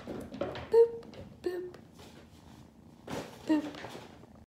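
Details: Kennebunk, nicknamed Moop, a foster kitten about 10–12 weeks old from a North Alabama shelter litter, gives three short squeaky mews while being booped, with people talking softly in a small room.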